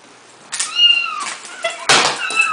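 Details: Domestic cat meowing in reaction to a phone ringer set off nearby: two drawn-out, wavering meows with bright harmonics, the second louder and harsher, separated by a short gap.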